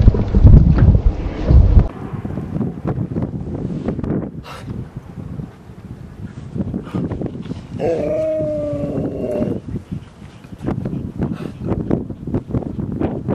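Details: Dogs Rosy and Rocky at play in Seal Point Dog Park, western San Francisco Bay, on August 10, 2015; one drawn-out, steady tonal whine lasts under two seconds, after a low rumbling thump at the start and amid outdoor background noise.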